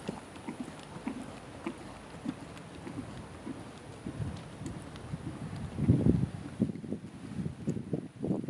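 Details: Seven-year-old Lusitano Westphalian stallion under saddle in dressage schooling, starting flying changes, preparing 4th level work and beginning passage; soft, muffled hoof thuds in an uneven rhythm, growing louder and heavier toward the end.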